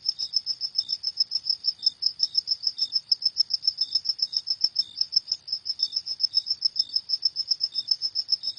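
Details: Crickets at night, a rapid run of high, even chirps pulsing about four to five times a second, with a softer, lower chirp from a second caller slipping in at intervals; no other sounds.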